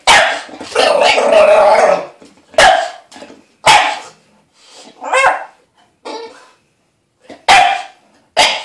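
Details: Dog named Lilly protesting bath time with a long, drawn-out howling bark lasting about two seconds, then a run of short, sharp barks and grumbling yips at uneven intervals.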